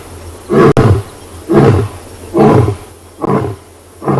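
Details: Huge male lion roaring at sunrise on safari, 5 August 2020, after scent marking: short, deep, grunting pulses about once per second, four full grunts and the start of a fifth, each a booming huff.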